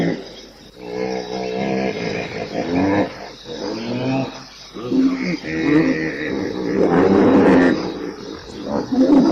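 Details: Hippopotamus voicing a series of gruff, harmonic grunting calls that rise and fall irregularly, about one every two seconds, separated by brief gaps.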